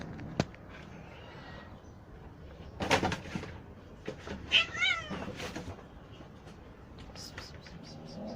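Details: Kittens of rescued street mother cats, now grown and kept safe in a cat house awaiting adoption; a few short harmonic meows around the middle, preceded by a sharp knock and rustling, with a faint soft voice in the background.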